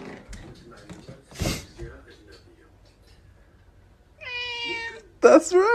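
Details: Pet cat meowing: after some soft thumps and rustling, two clear drawn-out meows arrive close together near the end, the second louder and wavering.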